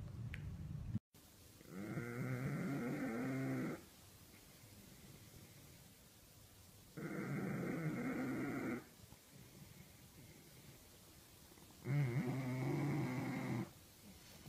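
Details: Bulldog asleep during a snoring competition at My Second Home, Dubai, October 2015, giving deep rasping snores of about two seconds each, repeated roughly every five seconds, with hushed indoor background between breaths.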